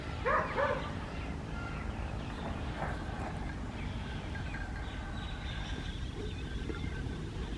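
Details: Two brief yapping barks open the scene from Adriano, a West Highland White Terrier outdoors on a winter morning in Hoat Wala, South Punjab, Pakistan, followed by several seconds of constant low background noise from the village fields.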